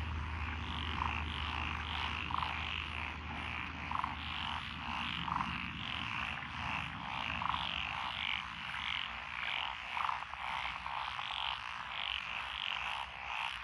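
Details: Japanese rice-paddy frogs among lotus in Echizen, Fukui, on 12 June 2021 form a continuous chorus. Rattling croaks overlap densely, and occasional louder, sharper notes stand out every second or two. A low hum runs beneath at the start.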